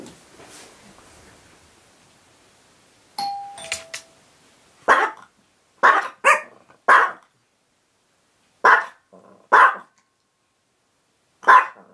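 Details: Chihuahua named Kasumi, indoors, barks at the doorbell, a habit copied from another dog, Koko. Two-tone chime sounds, then about seven sharp, bright barks follow in uneven bursts, some in quick pairs, with silence between.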